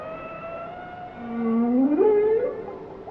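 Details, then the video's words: Whale song in a long, smooth moan that swoops upward over about a second, then climbs again in a higher, wavering step before fading, over a faint steady tonal drone. "Song of the Whales"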